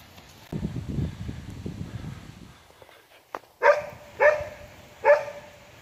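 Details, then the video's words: On an afternoon park outing, a Border Collie "talks" while searching for sticks. Rustling and footsteps come first, then three short, nasal, yowling moans about three quarters of a second apart. A person talks about finding sticks. "Talking Border Collie"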